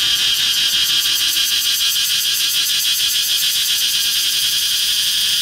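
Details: A cicada on the trunk of a flame tree gives a steady, piercing electric buzz with rapid rhythmic pulsing throughout, loud and unbroken.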